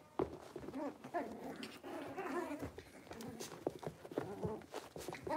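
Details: A litter of five blenheim Cavalier King Charles Spaniel puppies, born at New Year, newly moved into a big indoor pen. Continuous overlapping high whimpers and squeaky yips, with wavering tones, over tapping and shuffling noises.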